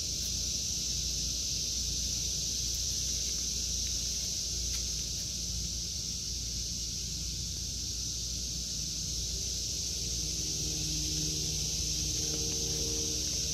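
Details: Cicadas singing in a vegetable garden in August 2023: a continuous, steady high-pitched droning buzz that holds unbroken throughout, over a faint low rumble.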